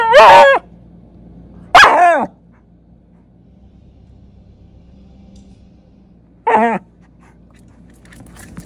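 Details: At night, a Shiba Inu fussing during zoomies gives three short, yelping cries that bend down in pitch, spaced several seconds apart.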